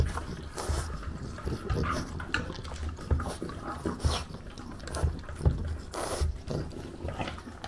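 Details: French bulldog in Japan eating breakfast, filmed on a DJI Pocket 2: wet, crunchy chewing and lip smacks in irregular bursts, with soft clicks and slurping throughout, recorded close up indoors.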